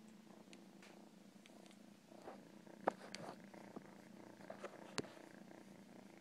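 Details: Quiet, low purring from a house cat runs under scattered clicks and small taps, with the rumble staying faint but steady throughout.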